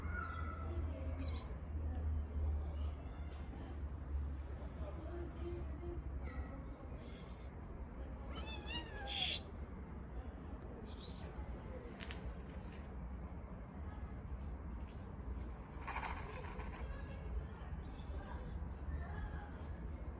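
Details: Black stray cat on the street, hungry and being fed, gives a few short wavering meows over a steady low rumble of outdoor noise, with human speech and scattered clicks.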